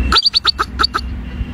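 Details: A bobak (steppe) marmot (Marmota bobak) gives a quick run of sharp, high chirping whistles, about eight per second.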